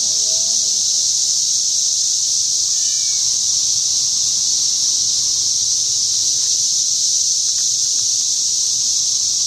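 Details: Wild cicadas near a home produce a dense, unbroken shrill buzz holding steady throughout, with a few faint chirps and squeaks scattered underneath.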